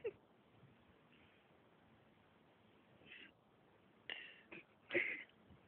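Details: Little kitten handled indoors, giving a few short, high meows toward the end, the last one brightest and loudest, amid quiet background hiss and nearby people talking.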